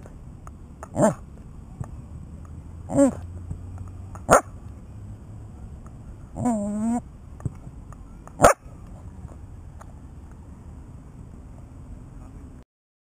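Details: Welsh Corgi barking: short sharp barks spread irregularly, one drawn-out, wavering bark near the middle, then a final loud bark before silence, with a quiet indoor background.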